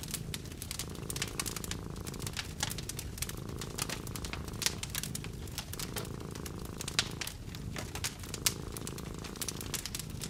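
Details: Contented cat lying next to a crackling fireplace in a cozy hut, its low rhythmic purr rising and falling with breathing, partly masked by dense fire pops and crackles.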